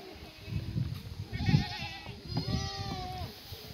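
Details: Black goats on a free-range hillside farm in Gimhae, South Korea, during a sunny May morning feeding of cut strawberry-plant branches and leaves; overlapping bleats, one wavering and one steadier and longer, over rustling and low thuds.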